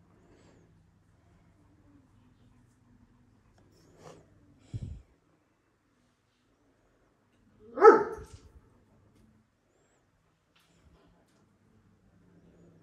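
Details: One-year-old Kangal dogs in Alanya, Antalya, Türkiye, 24 September 2024: two isolated deep barks, a short one then a louder broader one, separated by quiet stretches with faint low hum.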